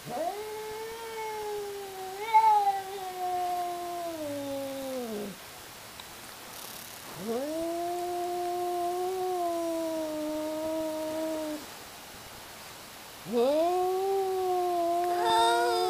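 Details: Fighting cats, two of them hollering at each other: three loud, sustained yowls, each swooping up then held as a strained, harmonic-rich wail for four to five seconds before dropping, with short gaps between.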